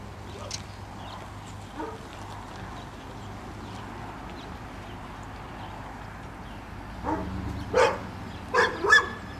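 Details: Dog barking during retriever training with black Labrador Retriever Finn and five-month-old puppy Breck. Mostly quiet rumbling background, then a cluster of short sharp barks and yips in the last two seconds, with human speech nearby.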